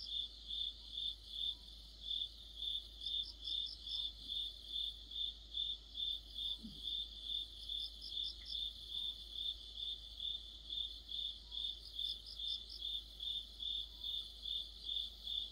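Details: Autumn cricket chorus with other insects: continuous high chirping at about two and a half pulses per second, interrupted periodically by bursts of a higher rattling trill from another insect, plus a soft low background hum.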